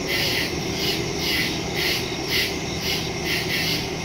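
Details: Crickets chirp in the woods at night, recorded September 2, 2023 on a Samsung Galaxy S22 Ultra phone with a Shure MV88+ stereo microphone; a dense, high, shimmering chorus pulses about twice a second over a steady low hum.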